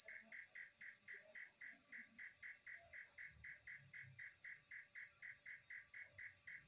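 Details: A pet cricket chirps steadily, giving high, bright pulses about four times a second.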